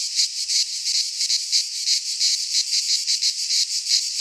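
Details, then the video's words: Greek pine-forest cicadas in midsummer: a shrill, pulsating buzz swelling in short beats about three times a second, steady and uninterrupted. "Cicadas singing in midsummer - Nature sounds from the Greek fauna - Sounds of cicadas"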